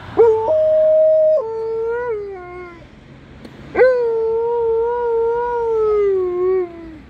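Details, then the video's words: Female Alaskan Malamute 'singing' her lungs out: two long, tonal howls, the first leaping upward then holding, the second drawn out for nearly three seconds with a gentle waver before sliding down. "Alaskan Malamute 'sings' her lungs out"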